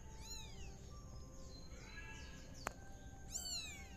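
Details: Tabby kitten playing in a pot, with soft, high-pitched meows that bend down in pitch: one near the start, a drawn-out fainter call in the middle and a sharper one at the end, with a single click and background hum.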